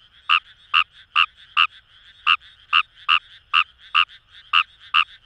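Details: Fejervarya kawamurai calling in paddy fields along the Kamo River, Itoshima, Fukuoka, Japan: short sharp croaks, about twelve in five seconds, steady series of clicks with quieter chorus and distant frogs behind.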